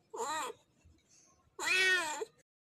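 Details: Male cat calling a female in heat with two strong, harmonic meows, the second longer, louder and more strained.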